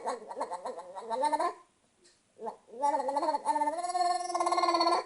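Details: Luca, a pet cat, making crazy noises: gargly, trilling harmonic calls that rise and fall in quick pulses, a short pause, then a long wavering warble ending in a rapid throbbing trill.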